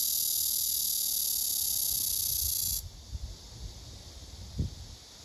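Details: A courting male blackish cicada, ignored by the female, holds a loud high buzz that cuts off abruptly just under three seconds in, leaving quiet low rustling and a soft knock.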